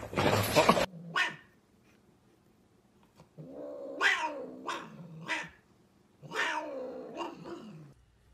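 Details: Domestic cat in a funny cat compilation giving a series of drawn-out, wavering meows in two clusters, each call sliding downward, after a short loud burst of noise at the start.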